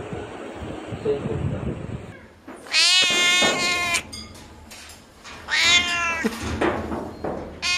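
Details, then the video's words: Cat giving two long, bright, wavering meows a few seconds apart, with quiet household background and a little human speech in between. "Funny Cats and Kittens Meowing Compilation October 2020"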